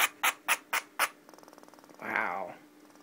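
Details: Indoor pet squirrel Pinky, behaving strangely and upset, gives five quick harsh barks in a steady series, then a faint rapid purr-like rattle before a person's voice cuts in.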